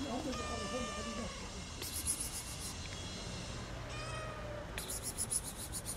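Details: Fluffy tortoiseshell cat in Bakırköy park meowing to ask for food at feeding time: two drawn-out, harmonic-rich meows a few seconds apart, with brief bright clatters and low background rumble between them.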